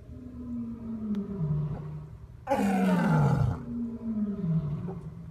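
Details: Male lion, one of three compared for loudest roar: low moaning grunts sliding downward, then a loud, harsh roar bursting out and falling in pitch for about a second, followed by more descending moans.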